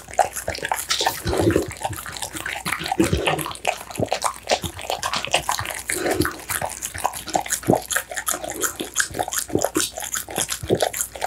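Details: Close-up eating noises from an American Bully fed steamed pumpkin, minced duck, tofu and dried mixed vegetables: wet, sloppy lapping and chomping in uneven bursts, with heavier gulps around one and a half, three and six seconds.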